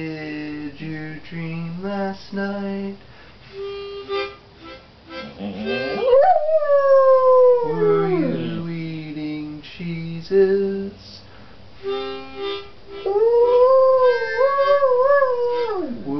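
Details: Female singing dog howling by morning light: long sliding howls that swoop up and fall away, alternating with steady, reedy, harmonica-like notes repeated in short bursts.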